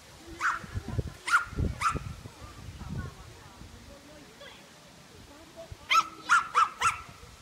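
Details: Bertha, a Welsh Terrier, at a class III agility run in Rauma on 22 July 2018: three sharp barks, a pause filled with footfalls and background murmur, then a quick burst of four more barks.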